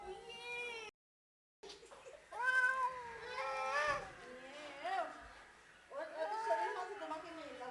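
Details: A pair of house cats give a series of long, wavering meows, some rising then sliding down, with people speaking Bengali in the background and a short silent break early on.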